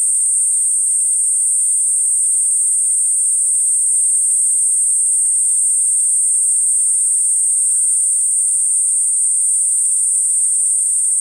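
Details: Platypleura kuroiwae cicada singing a steady, unbroken high-pitched hiss that holds one even pitch for the whole stretch, with faint quiet background beneath.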